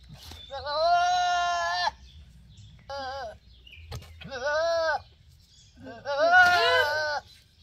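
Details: Male goat letting out four loud, rich bleats, long and steady at first, then a short one and two more, the last harsh and wavering; low hum underneath.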